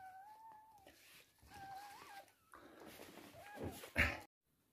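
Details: Toy poodle giving birth to three female puppies indoors: thin, wavering tonal cries, steady then briefly rising and dipping, in two drawn-out phrases, followed by rustling and a sharp knock before sudden quiet.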